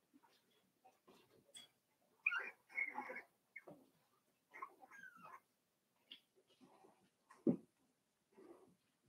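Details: Quiet, close-miked Cavalier King Charles Spaniel puppies, five weeks old, in Daisy's indoor pen, making a run of soft wavering whines and squeaks that bend up and down, plus snuffles and light rustling.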